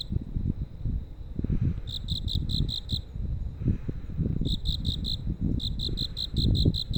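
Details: At night along a street in Nerima ward, Tokyo, crickets give high chirps in short bursts of about five quick pulses. The bursts are separated by brief pauses, against loud low-pitched traffic rumble.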